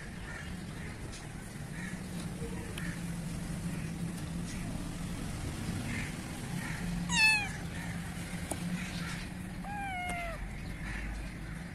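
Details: Black kitten in Pakistan gives two short meows, each a bright, falling, slightly wavering cry, one just past the middle and another a few seconds later, over a steady low outdoor hum with faint distant chirps.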